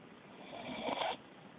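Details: A sleeping pet beagle snoring: one breathy, rasping snore swelling for about half a second, then fading back into quiet room noise.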